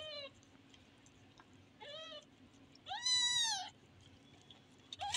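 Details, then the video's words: Kitten meowing in three separate calls: a short falling mew, a second rising-then-falling mew, and a longer, louder arched meow near the end, with a quiet hum behind. "Funny Kitten"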